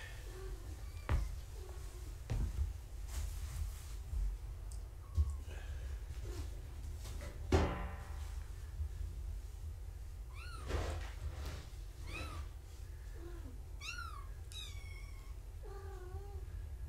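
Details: Gaia's foster kittens indoors on a live foster cam during a weigh-in. Knocks, thumps and shuffling come first, then a run of short, high, arching mews repeats through the second half, several close together.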